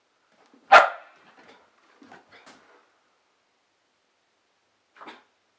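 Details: Foxie, a 9-month-old female Pembroke Welsh Corgi, barks while playing with a fitness ball: one loud, sharp bark, then a few softer yips and grunts, and a faint final bark after a pause.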